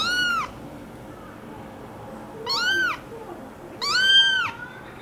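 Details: American Curl kitten meowing three times, each a clear high arched cry under a second long with strong overtones, separated by short quiet gaps in an indoor room.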